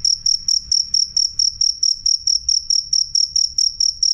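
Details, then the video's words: Clear, loud cricket chirps: short bright high pulses, roughly two each second, regular and continuous over a quiet low background. "suara jangkrik jernih keras"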